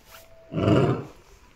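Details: A 16-year-9-month-old Amur tiger, the oldest in Japan, at Kushiro City Zoo, recorded 15 March 2021 at 11:45, gives a single short, deep, rough roar lasting about half a second, then falls silent.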